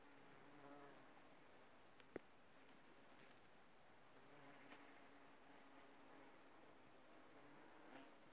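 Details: Bumblebees busy on aconite blooms give a quiet low hum that comes and goes in short passes, with a sharp tap midway and light rustling in the background.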